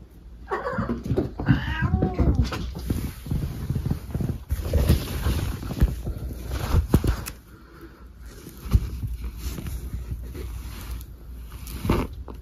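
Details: Cat racing around indoors during a bout of zoomies; a few short wavering meow-like cries early on, then thumps and scrambling footfalls across the room.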